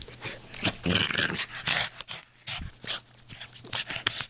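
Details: Boston Terrier indoors playing with a blanket: breathy snorts, huffs and short growly grunts in quick bursts, with rustling fabric and a low steady hum behind.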